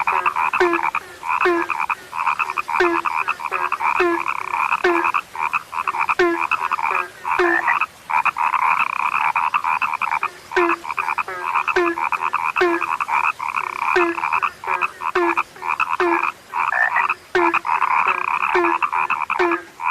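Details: Frogs described as now rare, calling in a dense chorus: overlapping rattling, buzzy croaks layered thickly, with short low notes repeating roughly every half second. The frog chorus is continuous, with brief dips and no other clear sounds.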